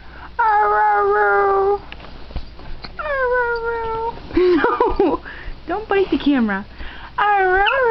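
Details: Pet dog practising "I love you" gives several sustained, slightly falling moan-like tones, then quicker wavering yips and a final warbling howl, with quiet gaps between the utterances.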